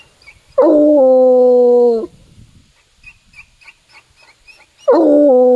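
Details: In woods during a walk, a Bluetick Coonhound (Canis familiaris) gives long, deep, drawn-out bays with faint chirps between while tracking a scent all the way to a tree.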